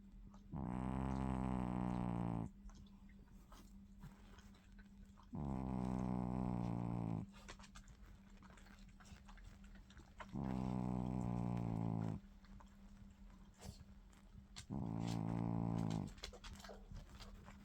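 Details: Pet dog asleep and snoring: four drawn-out, droning snores of about two seconds, spaced roughly every five seconds, each a rough buzzing breath, with a constant low hum in the room between them.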